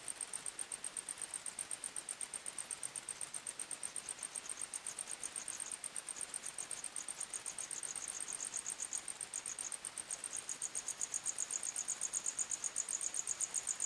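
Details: Crickets singing at night in a forest, a dense chorus of rapid high-pitched chirps pulsing about four times per second, with overlapping callers at slightly different pitches and little other sound.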